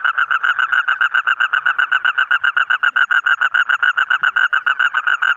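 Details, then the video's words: Colourful frog calling in a fast, even train of short nasal pulses, roughly four a second, each croak identical and unbroken for the whole stretch. "Different Colorful Frog Sound"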